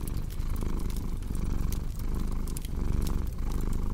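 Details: Deep, continuous purr from a cat, its rhythmic low throb rising and falling with breathing, while fireplace crackles add scattered bright clicks.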